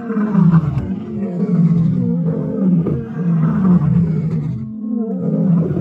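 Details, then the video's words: White lioness from the Birmingham Pride in Kruger, recorded 10 June 2024, giving a loud, continuous deep roar with rough rumbling grunts, the sound swelling and easing without a break. "White Lioness Roaring"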